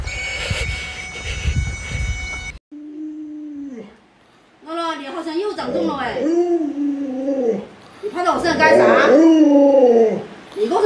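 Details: Alaskan Malamute Luoluo, a pet reacting to its owner sick in bed; a burst of noisy background sound gives way to a low held note, then a string of wavering, rising-and-falling howls and whines.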